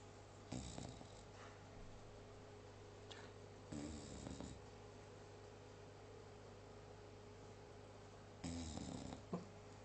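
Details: English Bulldog snoring, three rough rasping breaths spaced several seconds apart over a steady low hum.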